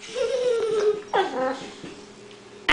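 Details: Axel, a pet Boxer wanting to join a man in the garage, gives a falling nasal whine followed by a shorter whimpering cry indoors, then quiet room noise and a sharp click at the end.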